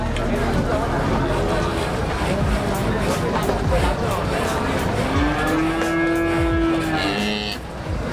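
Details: Large cattle at Muntilan cattle market, late 2019: a loud, steady, sustained moo about two seconds long near the end, heard above busy market noise with voices, passing vehicles and faint music.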